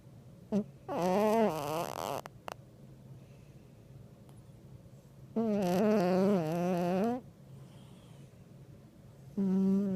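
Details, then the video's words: Buster Bluth, a fat black pet cat, snoring loudly; three drawn-out, wavering, voiced rasps about two seconds long with quiet pauses between, the last cut short. "Stupid Black Cat Snoring"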